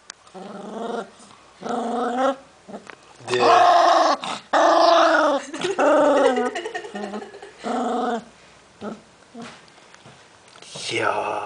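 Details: Cavalier King Charles Spaniel puppy, 11 weeks old, guarding a newly found snack and refusing to share, indoors: loud droning growls in bursts of about a second, some rising into higher, whinier snarls, with short pauses between.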